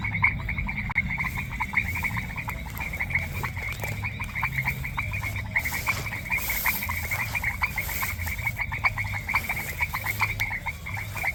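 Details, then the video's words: Chorus of frogs in a semi-humid grassland in the countryside, many rapid pulsed croaks overlapping steadily throughout, over a low background rumble and occasional hissy noise. "Sonido de Ranas | Ambiente Natural en un Pastizal Semihúmedo"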